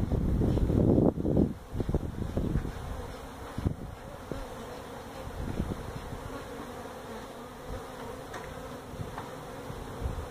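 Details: Honey bee colony in a tractor tire at a citrus orchard in Mission, Texas, disturbed during feral hive removal: loud handling rumble opens, then the steady low drone of many bees carries on with scattered knocks.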